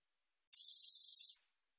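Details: A single high, rasping pulsed buzz from a black-edged katydid (검은테베짱이), National Institute of Biological Resources recording, 2020. It lasts under a second, with quick even ticks fused into a shrill burst and no background.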